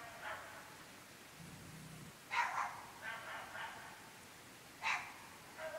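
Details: Dogs barking at night in an extremely remote rural area of the UK, recorded at 11.30 pm: scattered sharp barks with gaps between them, plus a brief low murmur, faint and far off.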